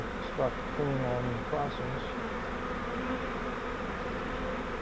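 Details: Captured honeybee swarm from a fiber bait-hive swarm trap, being transferred to a Langstroth hive. Continuous droning buzz throughout, with a few brief low tonal sounds breaking in during the first two seconds before the steady hum carries on alone.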